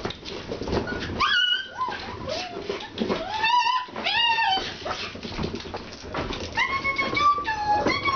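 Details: Alaskan Malamute puppies at a kennel on their first time outside, giving high whining whimpers and yips, some arching and some held steady, several overlapping, with background rustle and faint human voices.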